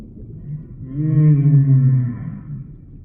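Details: A single deep, resonant moan from a humpback whale, rich in stacked harmonics, swelling in over half a second and holding level for about a second before fading out.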